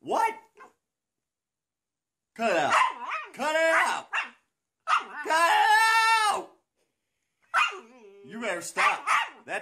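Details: Siberian Husky "talking": harsh, wavering bark-howls in several drawn-out bursts with quiet gaps between them, mixing rough barks with stretched, moaning tones.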